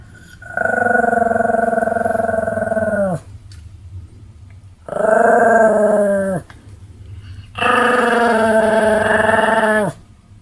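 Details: Pomeranians Sam and Marin in a duet of barking: three long, sustained, wavering howl-like cries, each about three seconds, ending with a downward slide, separated by short pauses.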